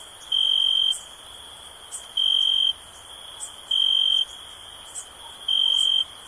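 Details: Cricket calling with clear, even, high-pitched chirps of about half a second, spaced around one and a half to two seconds apart, over a continuous shrill background hum and occasional faint ticks.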